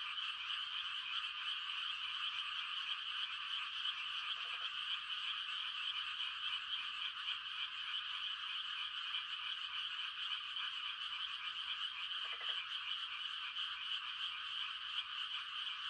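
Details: A dense chorus of frogs on a quiet country night in rice-transplanting season, possibly mating calls, forms a steady, high trilling wall of sound with no pauses.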